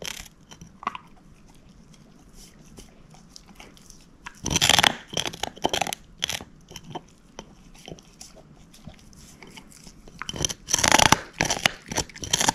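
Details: Moose, a female shepherd mix dog, gnawing a bone: loud bursts of sharp crunching around the middle and end, separated by quieter stretches of softer gnawing clicks, with no talking.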